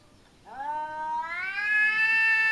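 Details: Household cat squaring off against a smaller cat in a Japanese home garden, one sustained, swelling yowl that climbs in pitch and loudness and holds steady, rich in harmonics.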